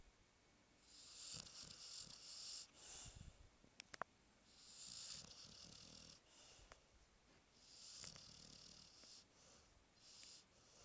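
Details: Sleeping Chow Chow called Alpha, too deeply asleep to be woken, gives breathy, hissing snores in drawn-out bursts every two to three seconds, with a few sharp faint clicks in a small quiet room.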